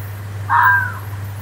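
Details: Fox screaming in the woods: a single harsh, hoarse cry lasting about half a second, with a steady low hum underneath throughout.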